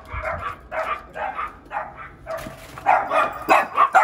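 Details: Dachshund and yorkie dogs in a Florida house bark as a trainer comes to the door. Short clusters of yappy barks repeat about every half second, growing louder and more rapid toward the end.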